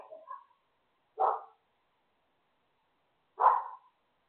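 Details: Neighbour's dog giving single sharp barks spaced about two seconds apart, with a fainter yap at the start and silence between barks.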